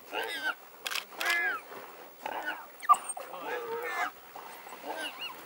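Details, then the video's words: African wild dogs harassing and digging out a warthog in the wild, giving bursts of high, bending, twittering calls in quick succession, short pauses between bursts, with a sharp squeak near the middle. "WILD DOGS digging out a WARTHOG"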